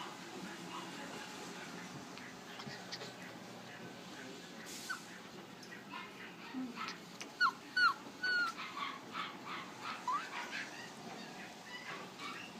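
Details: West Highland White Terrier puppies at a pet store in Flushing, New York, giving a few thin, high, sliding whimpers and squeaks midway, over steady indoor hum and scattered clicks and knocks.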